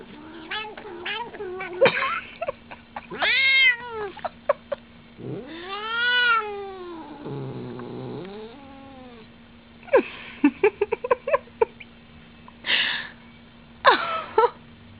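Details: Indoor pet cat, female, making weird noises while licking her foot: a varied run of arched meows, a low growly grumble, clusters of sharp clicks and chirps, and squeaky yowls, over a continuous electrical hum.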